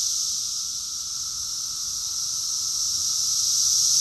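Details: Brief stretch of a summer cicada chorus from Rockville, Maryland, USA, June 2021, an even, hissing high-pitched buzz that grows slightly louder toward the end.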